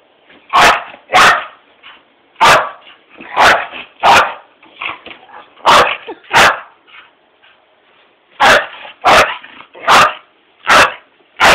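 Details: Mini Pit dog described as ferocious, barking in sharp, loud bursts, singly and in pairs, about a dozen across the stretch with short gaps between.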